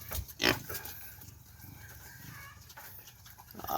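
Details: Native pigs being fed madre de agua leaves: one loud, harsh grunting burst near the start, then quieter rustling and munching, with a rising sound at the end.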